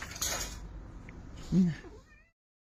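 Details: A cat gives one short, low, arched meow, preceded by clattering household noise and a brief voice in the background.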